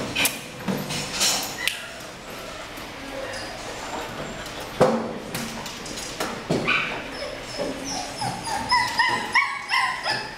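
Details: Purebred female Rottweiler in Pleiku, Vietnam: scattered short barks mixed with whining yips and high whimpers, some rising tonal squeals toward the end, over steady background noise.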